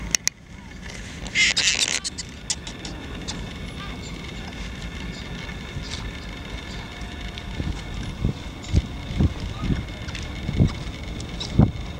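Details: Outdoor background of low rumbling traffic, faint voices and scattered knocks, with no clear animal calls.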